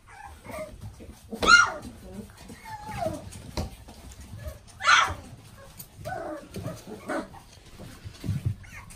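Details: Gold-coated Golden Retriever, offered through a puppy breeder site, gives two sharp broadband barks about three seconds apart, with softer whining and yelping between them and low rumbling handling noise underneath.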